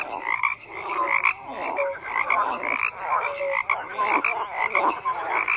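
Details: Frogs croaking together in a busy chorus, pulsed rasping calls overlapping with occasional clear tonal notes, loudness surging and easing every second or two.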